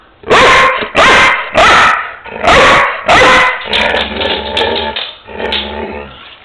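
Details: Pet dog barking repeatedly on Mother's Day when prompted: five quick, loud, harsh barks about half a second apart, followed by music and a person talking.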